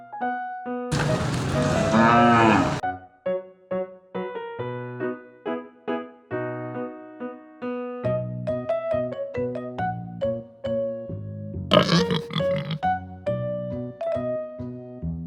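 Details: Cow mooing with a long, loud, harsh moo near the start and a shorter burst later, set against continuous bright keyboard music with repeated plucked notes throughout.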